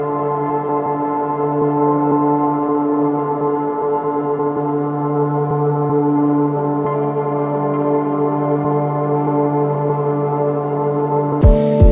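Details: Sustained ambient music with held organ-like tones and gong resonance, ending in a sharp knock; no animal sound.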